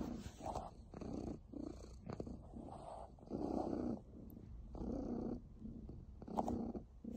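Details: A happy pet cat purring: low rumbling bursts alternating with quieter breaths, each rise and fall lasting about a second, steady and unbroken with no other sounds.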